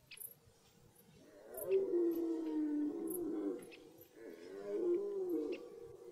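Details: Red deer roaring in forest at the start of the rut: two drawn-out, moaning roars, the first about three seconds long and wavering, the second shorter, over a quiet background with a few faint clicks.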